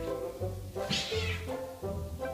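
A domestic cat gives a single drawn-out meow over soft background music.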